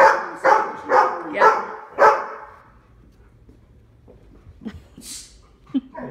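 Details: Household Labradors in Omaha bark at the door during training for jumping up and barking: a burst of five sharp barks roughly every half second, then near silence with faint thumps and movement.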